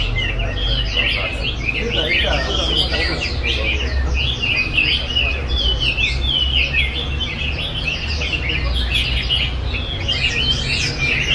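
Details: Chinese hwamei in steady song: a long, unbroken stream of loud, varied whistles and warbled slurs, phrases changing every second or so, over a strong low hum of background noise.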